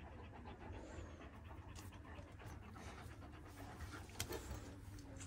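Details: Kangal dogs, one year old, in Alanya, Antalya, Turkey, on 24 September 2024, panting in quick, breathy, steady pulses over a constant low engine rumble, with a few sharp knocks.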